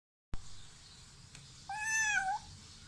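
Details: Baby kitten giving one thin, high meow that climbs slightly and then falls away, lasting under a second, after a sharp knock and a quiet pause indoors.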